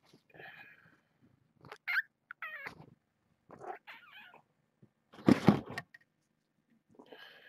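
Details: Lady Peaches, an elderly shelter-surrendered cat also called Granny or Peach Chutney, squawks her displeasure at being given medicine and then left: a run of short harsh chirpy cries, wavering harmonic notes, then a loud rough burst near the end.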